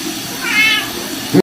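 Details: Domestic cat giving a single drawn-out meow, rising then falling, in a short indoor recording, followed by a brief thump.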